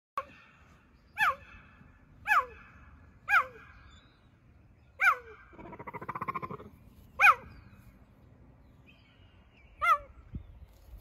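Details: Cheetah calling with sharp high chirps, each a bright descending yelp with stacked harmonics, given singly about once a second or two, with a short low rumbling buzz between calls and quiet background.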